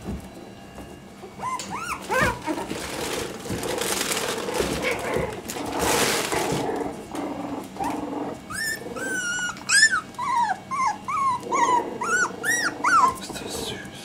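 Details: Litter of Parson Jack Russell Terrier puppies at three and a half weeks old, indoors; a noisy first half gives way to many high, rising-falling whines and squeaks from several pups, overlapping in quick bursts.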